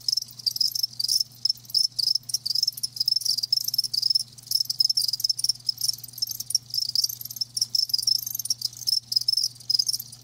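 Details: Live crickets sing a near-continuous high trilling chorus, dense rapid pulses of shrill chirping with only momentary gaps, against a faint low hum.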